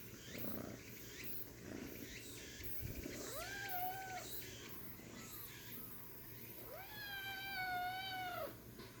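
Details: Tiny kitten meowing twice: a short arched mew, then a longer clear one that rises, holds and falls, with soft rustling between calls.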